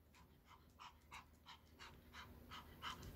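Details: Pomeranian named Sarang panting indoors after ball play, quick breathy puffs about three per second, soft and evenly spaced, over a faint steady room hum.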